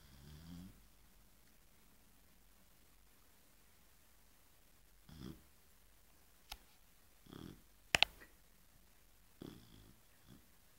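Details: Female Chow Chow asleep indoors, snoring very loudly after a whole afternoon of play and struggling to breathe: a few soft, low, breathy snores at irregular intervals, with two sharp clicks partway through.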